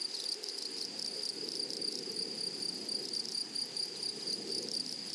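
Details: In a flowery meadow, grasshoppers give a continuous shrill, high buzz made of closely spaced pulses. A lower rustling murmur, like wind through grass, runs beneath throughout.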